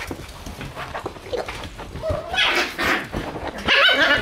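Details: Shiba Inu puppies crowd around someone entering their room indoors, clinging so closely that walking is hard; thin, high whines rise and waver toward the end over shuffling and scratching noises.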